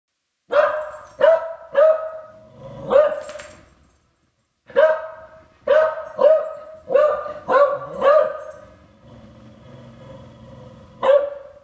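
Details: A beagle, which hates its owner's trombone, gives a run of sharp, ringing barks in quick bursts at it, with a faint low brass tone near the end; beagle.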